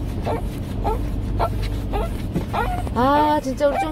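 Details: Jjongi, a 17-year-old Shih Tzu with dementia, acting up at night indoors: short, clipped cries that end in one drawn-out, sliding wail, with a low hum behind.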